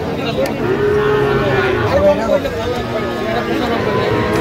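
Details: At a Dhaka cattle market on 17 October 2025, Sahiwal bull calves give a long, even moo and then a shorter wavering one, half buried under nearby voices and the murmur of a crowd.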